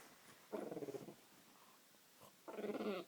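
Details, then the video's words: A female French bulldog, indoors, makes two short, throaty, rapidly pulsed pigeon-like warbles of about half a second each, because she thinks there is food on the table. "Dog making a pigeon noise?"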